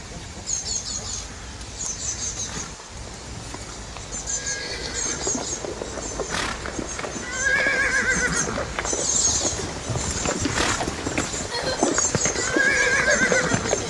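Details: Przewalski's horses, a rare horse kept in a zoo, running: a few short wavering whinnies with bright harmonics rise above steady broadband noise and hoof sounds, one cluster near the middle and another toward the end.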